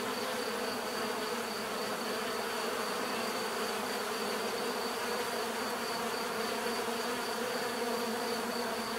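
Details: Dense, even droning of many bees with no breaks or other clear sounds, only a steady high faint tone above the warm buzzing mass.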